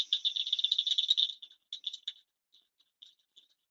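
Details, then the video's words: Fingernail-sized Blanchard's cricket frog calling in breeding season, late hot summer: a fast run of glassy, marble-like clicks for over a second, then sparse, irregular single ticks with gaps, and a final loud click, no other sounds present. "the call of the Blanchard's cricket frog. And"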